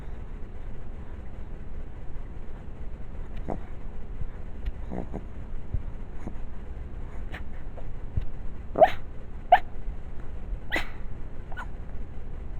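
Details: A deaf Chihuahua asleep and dreaming gives soft, muffled yips and brief whimpers over a low background hum.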